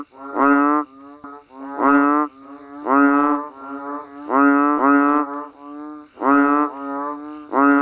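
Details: Rain-time calling of banded bullfrogs and frogs in the wild: loud, hollow, cow-like bleats about a second long, paired and separated by short gaps, with quieter answering calls between them.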